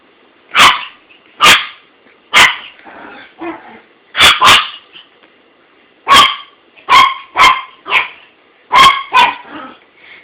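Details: Buddy, a male dog, barking at his toy indoors, recorded on an Android phone: loud, sharp barks come in pairs and bursts about once a second, with softer muffled sounds between them.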